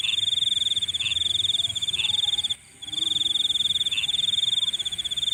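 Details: Nighttime insect trill, high and evenly pulsed, running continuously apart from one brief gap, with occasional lower chirps about once a second.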